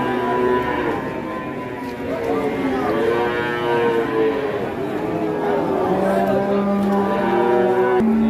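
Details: A curly-haired giant cow at an unloading gives repeated deep moos that swell and sag in pitch, ending in a flat, steady low bellow, over light background noise.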